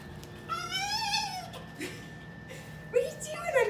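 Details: Rescued red fox at a zoo, one of two kept together behind the bobcat habitat, giving a long rising then falling whine rich in harmonics, followed by fainter short squeaky notes and background hum.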